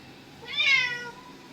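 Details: Domestic cat in a garden where a snake has reappeared, giving one drawn-out, rising-then-falling meow lasting about half a second. A person speaks Marathi just before and after.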